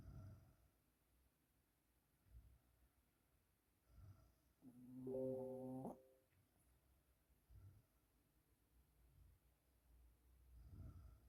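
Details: A sleeping Yorkshire Terrier snoring softly indoors: quiet, low rasping breaths at irregular intervals, with a brief squeaky, whine-like tone in the middle.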